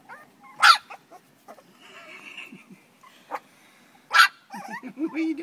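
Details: Terrier puppies four weeks old give sharp, brief yelps spaced a few seconds apart, with quieter squeaky whines between them and faint human voices nearby.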